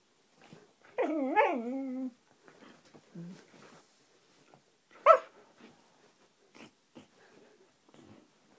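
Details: Playful Siberian Husky Roxy giving a wavering, warbling howl-like vocalization that rises and dips for about a second, followed by low grumbles and one sharp bark, in a quiet indoor setting.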